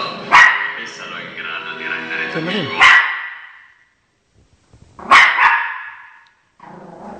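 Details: Pet Shih Tzu Chocolate barks at dog actors on a television screen, guarding its territory; three abrupt, ringing barks spaced roughly two seconds apart, with TV speech and music filling the gaps.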